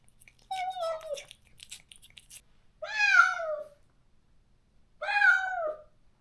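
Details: A neutered stray cat in a countryside yard wails for a companion it was separated from. Three plaintive meows roughly two seconds apart, each bending downward at the end, with faint clicks and rustles early on.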